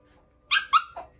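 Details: Dog, a puppy, giving a short series of three high whiny yelps in a small indoor room, each note brief and falling slightly, the last one lower and softer.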